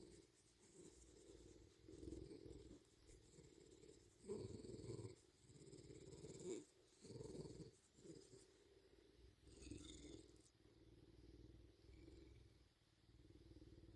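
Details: Bobcat named Big, indoors, acting like a puppy while having its ears checked: a low, continuous rumbling purr in breathy pulses, swelling and fading every second or so, with faint room noise.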